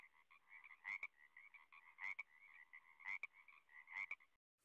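A frog gives a steady, buzzing trill punctuated by louder rasping croaks about once a second.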